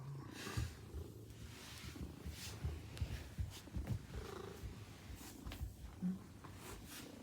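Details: Maine Coon cat welcoming its owner home at the entrance; continuous low throaty purr pulsing in quick uneven beats, with rustling and faint background noise.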